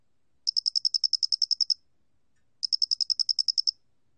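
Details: Two chirping bursts from a Loxoblemmus doenitzi cricket (모대가리귀뚜라미), National Institute of Biological Resources, 2020: sharp, metallic pulses in rapid even series of about twelve to fourteen, a gap of nearly a second between, quiet surroundings.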